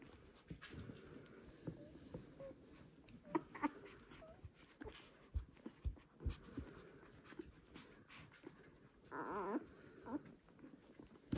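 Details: One-week-old Border Collie puppies of the "U2" litter from Selen and Max, indoors; soft rustling and snuffling, then near the end one short, high, wavering whine lasting about a second.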